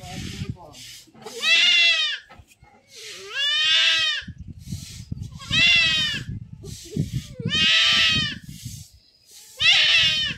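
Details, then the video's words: Village goat under blade castration crying out in strained, harmonic bleats roughly every two seconds, each call wavering and falling, with people talking and handling noises in the gaps. "ছাগল খাসি করার ভিডিও"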